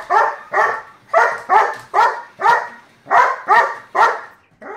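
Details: German Shepherd chasing a slot car, giving a fast string of harsh, noisy barks, roughly two per second, steady and insistent.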